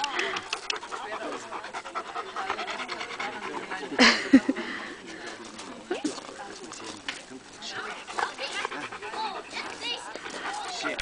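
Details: Bernese Mountain Dog at the Bernertreffen 2010 gathering, panting rapidly and rhythmically with quick breathy puffs while people talk nearby and louder bumps sound around four seconds in.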